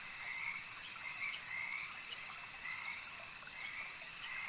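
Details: Frogs croaking at a lake: a dense chorus of raspy, pulsing calls swells roughly once a second over a steady high background drone, with no other clear sounds.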